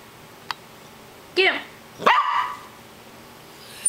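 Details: Callie, a poodle, gives two sharp, harmonic barks about a second apart, the second rising then falling; a faint click comes before them, and the background is quiet.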